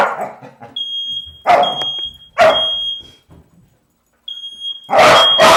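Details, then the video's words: A dog going crazy at a sounding smoke alarm. Loud, harsh barks come in short bursts about a second apart, then a pause, then another bark, over a piercing, repeated high beep from the alarm. "Crazy Dog hears the fire alarm"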